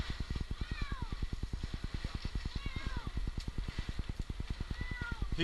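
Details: Stuck up a tree in Newark, Ohio, after two nights, 8-month-old kitten Jinx meows three times, each call a wavering falling cry, roughly every two seconds, against a loud rhythmic engine pulse.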